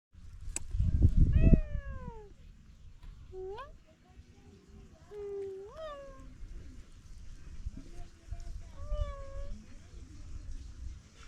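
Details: Calm tabby cat, apparently a rescued stray, giving several short rising meows spaced a second or two apart, with soft low rumbling handling noise underneath and a sharp click near the start.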